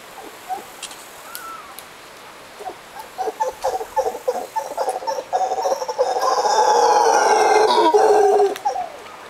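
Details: Costa Rican howler monkeys calling at sunset: scattered guttural grunts quicken into a long, sustained, rasping roar that swells and holds for several seconds before fading.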